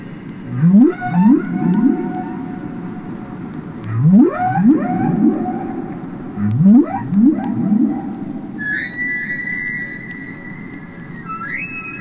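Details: Underwater recording of real humpback whale song: rising, swooping moans in groups of three, then long, steady, higher tones.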